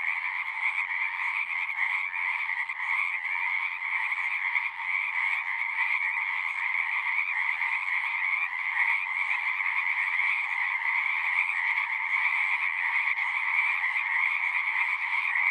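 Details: Long stretch of frog chorus at a pond in a horse pasture, recorded on a Zoom 6: many callers blend into an even, buzzy drone of trills at mid and high pitch, loud and unbroken throughout.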